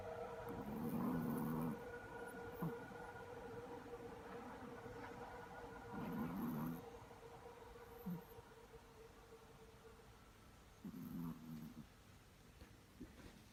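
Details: Sleeping Chihuahua snoring: three low, rasping snores spaced about five seconds apart, each lasting under a second, with a faint steady hum and a few soft knocks between them.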